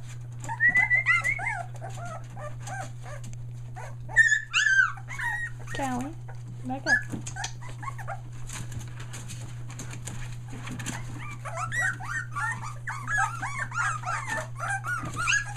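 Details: Australian Shepherd puppies one day short of three weeks old, near Mooresville, North Carolina, finding their voice: high wavering whimpers and squeaky yelps in bursts at the start and end, with a person talking and a steady low hum.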